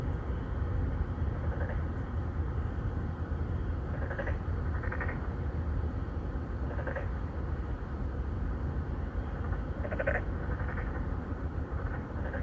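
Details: Three or four narrow-mouthed frogs courting females in an apartment-complex pond, Songdo, Incheon, Korea, captured with a Galaxy Note9. Roughly eight pulsed, buzzy calls at irregular intervals, a few seconds apart, beneath dominant low vehicle rumble.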